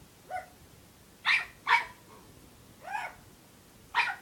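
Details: Unhappy puppy barking, wanting to play after being teased all afternoon: five sharp, high-pitched yaps spread irregularly, two quick ones close together, over a quiet background.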